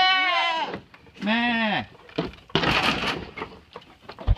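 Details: Goats bleat in loud, wavering, nasal cries, one after another like a chorus, with a brief human word between.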